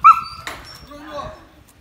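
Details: A pet Samoyed named Haroo lets out one sharp, high yelp that fades into a lower, wavering whine within two seconds, with a brief click midway.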